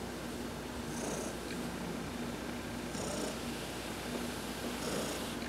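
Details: Domestic cat Heidi purrs under a massage while sunbathing, November 19, 2020. The purr is a continuous low, pulsing rumble, with a faint high-pitched tone recurring about every two seconds.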